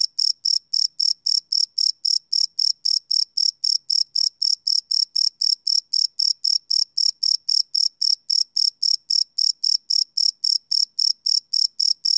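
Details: Nighttime crickets recorded live with a Sony PCM D100; piercing high chirps pulse steadily at roughly 230 per minute, a continuous monotonous rhythm with no other animals or noise.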